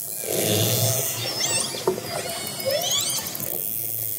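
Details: Underwater sound of orcas approaching a fishing boat: a low engine-like drone under several quick upward-sweeping whistles and squeals, with one sharp knock near the middle.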